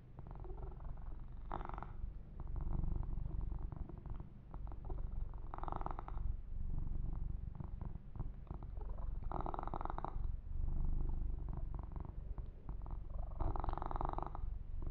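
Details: Pet kitten purring through a massage and fur grooming session, a continuous deep pulsing rumble broken by short bursts of brushing or rubbing every few seconds.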